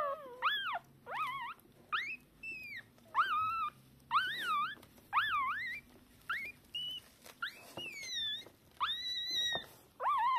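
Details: Three-hour-old Shiba Inu puppies from a litter of two females and a male, still blind and deaf, calling to their mother; sharp, arched yelping squeaks roughly every second, a few longer level whines, in a quiet room.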